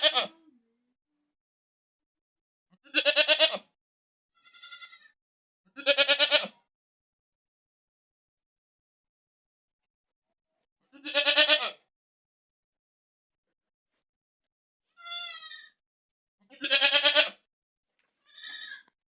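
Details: ['Goat screaming loudly. Loud, trembling bleats come at uneven gaps of two to six seconds, mixed with three softer, higher, shorter bleats. Silence fills the pauses.']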